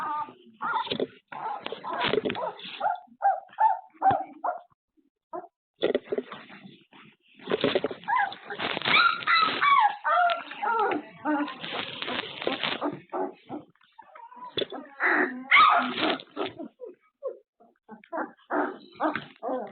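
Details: Several puppies stir after their afternoon nap under a surveillance camera, whining and yipping in dense overlapping bursts, with a brief lull and a noisy scuffling stretch midway.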